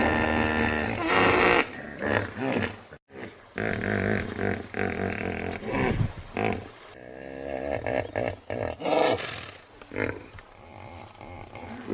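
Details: Hippopotamus giving loud, deep bellowing and honking calls, harsh and heavily harmonic, in long irregular bursts with a brief silence near three seconds, then more rapid grunting pulses.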